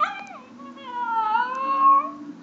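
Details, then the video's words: A male Chinese Crested powderpuff howls, singing along to music: a long, smooth, wavering tonal howl that dips and rises again over about two seconds, with a faint steady music tone underneath. "Chinese Crested Powder Puff Sings"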